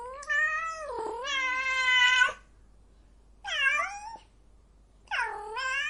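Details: Female cat in heat letting out loud, rich, wavering wails: a long two-part yowl lasting about two seconds, then two shorter falling cries after pauses, clear and close with a silent background.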